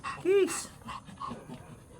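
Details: Teacup white Pomeranian stud during its first stud session in Mangaldan, Pangasinan: a single short, high, arching whine, followed by soft breathy panting sounds and quiet human voices.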